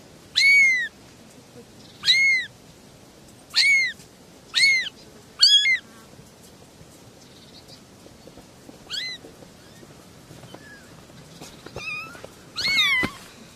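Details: Little kittens, three of them, meowing: a run of five sharp, high, arched mews in quick succession, then softer, scattered cries and a final louder squeal near the end.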